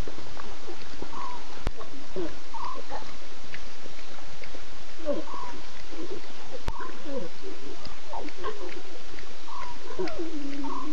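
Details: Six lion cubs of the Nkuhuma pride with three adult females at 02:50 a.m. on September 8, the cubs talkative and the females contact calling while looking around; scattered short mewing, moaning calls with wavering harmonics over steady low night background noise.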